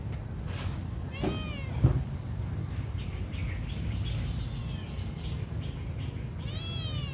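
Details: Hungry little kitten crying with a couple of brief, high, arching meows spaced several seconds apart, a thud in between and constant low background rumble throughout.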